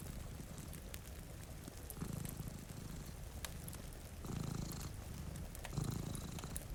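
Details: Two cats sleeping in front of a rainy window beside a cozy fire purr softly: a low, steady rumbling throb that swells into louder bursts every second or two, with sharp crackles of a fireplace and the patter of rain over it.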